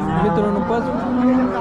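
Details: Jersey cow at the Sangola cattle market in Solapur, Maharashtra, India, 15 October 2023, giving a short, low, steady moo amid busy market background noise and faint music.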